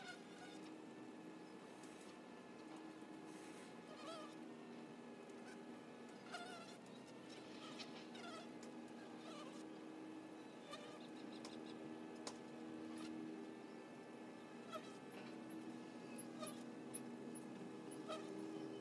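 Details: Continuous low, layered hum of honey bees crowding a hive entrance, the wingbeat drone holding steady throughout, while high bird chirps and short twittering notes come and go in the background.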